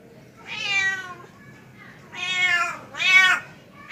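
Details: Male house cat calling a female with three meows, a long wavering one followed by two shorter, louder, bending cries, against low background hum.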